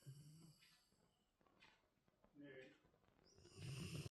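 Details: Labrador Retriever snoring: low, rumbling breaths swell at the start and again more loudly near the end, with a quieter stretch of softer breathing between.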